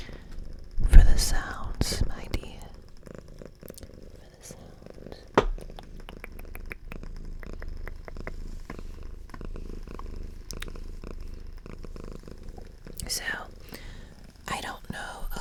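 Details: A pet domestic cat, female, purrs in a small room. There is a continuous low, rhythmic rumble with soft intermittent whispering, a sharp tap near the start and brief rustling toward the end.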